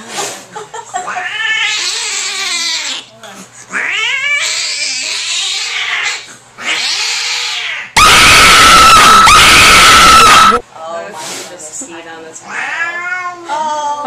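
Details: Furious cat at the vet giving loud drawn-out screaming howls in repeated bursts, interrupted midway by a blast of harsh, distorted noise before the yowling resumes.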